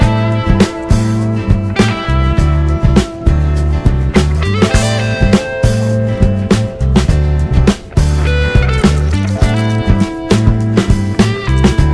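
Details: Loud rock music with strummed guitar, heavy bass and steady drum beats plays throughout, and no animal sound can be picked out.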